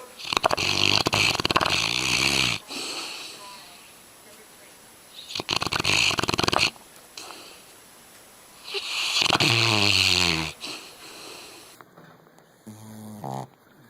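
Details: A sleeping dog snores in loud, rattling bursts roughly every four seconds, each a buzzy, fluttering rasp, with brief human speech near the end.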